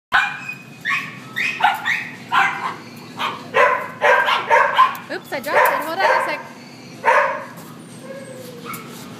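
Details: Two young male Poodle-Toy and Cocker Spaniel mix dogs, a bonded pair about one year old, at an animal shelter; a string of sharp barks and yips, roughly a dozen bursts, with a woman talking to them between.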